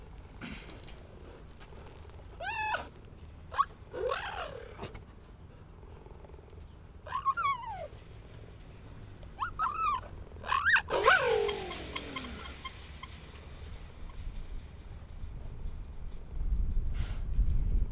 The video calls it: Cheetahs make the cutest vocalisations. Animal sound effect recording.